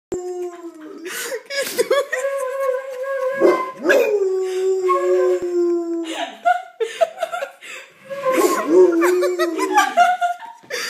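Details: Troya, a female pet pit bull, howls along with flute playing: drawn-out tonal wails with rising onsets, sliding and holding steady, mixed with sustained flute notes, plus bursts of laughter and speech urging her on.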